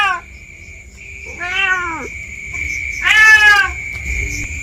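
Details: Village cat outdoors in bushes behind a house, seemingly lost, meowing: two drawn-out harmonic meows, the second louder and higher, over a steady high-pitched insect-like hum and low background rumble.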